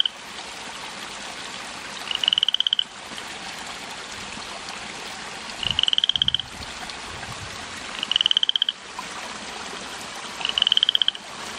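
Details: A single garden frog calling from evening to early morning, away from any bog or lake: four buzzy, rapidly pulsed trills, each about half a second long, repeated roughly every two to three seconds over a constant hiss.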